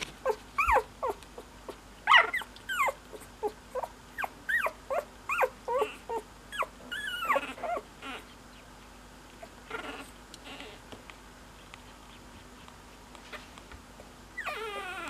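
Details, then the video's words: A Cocker Spaniel puppy squeaking: a rapid run of around fourteen thin, rising-then-falling squeaks, roughly two per second for eight seconds, then mostly quiet with faint rustles and one last wavering whine near the end. "Squeaky Cocker Baby"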